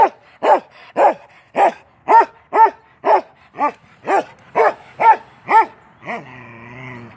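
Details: Keweenaw, a 10-month-old male Norwegian Elkhound, barks while playing through a fence, twelve sharp rising-falling barks about every half second, then a drawn-out, lower growling moan to finish.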